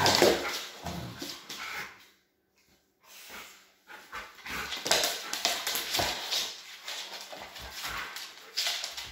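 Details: Doberman and Rottweiler dogs in a noisy confrontation, dense rough barks and yelps with whimpering, a short quiet gap near the middle, then continued scuffling and barking.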